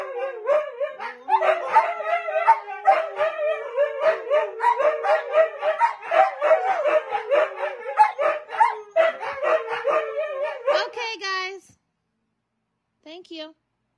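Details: Several Siberian Husky dogs howl in a dense chorus of warbling, stuttering tones for about eleven seconds, then break off into near silence, leaving only two brief high squeaky notes.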